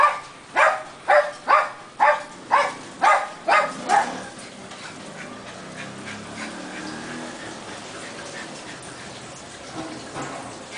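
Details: Little pet dog acting as a home security guard barks nine times in a steady rapid series, about two per second, for four seconds, then falls silent with low background noise and a faint sound near the end.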